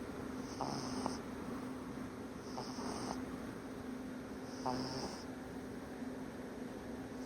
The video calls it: My 7 week old English Bulldog snoring ALREADY!!